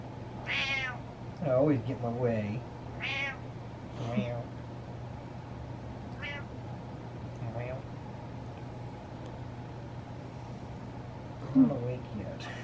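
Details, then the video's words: Butters, a male house cat asking for what he wants, gives a run of clear, harmonic meows, some drawn out and some short. A human voice mimics meows and talks between them in a small room with a low hum. "Cat Gets What He Wants By Meowing"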